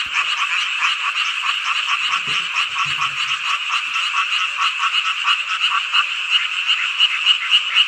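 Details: Many frogs calling together on a midsummer night in Hongcheon, Gangwon Province, Korea, forming an unbroken mass of fast, rattling croaks with a throbbing rhythm. A few faint low thumps sound in the background around the middle.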